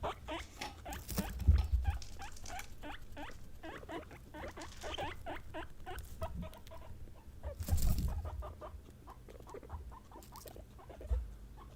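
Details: Three female guinea pigs (Peruvian, English and Teddy), pet animals said to call when they sense something: rapid runs of short, upward-sliding squeaks, several per second, with thumping and rustling bursts underneath.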